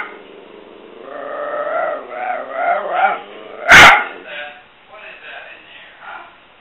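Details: Mia the dog at play, making a drawn-out, warbling 'talking' moan that rises and falls for about three seconds, followed by one sharp, loud bark and softer mumbling vocal sounds afterwards.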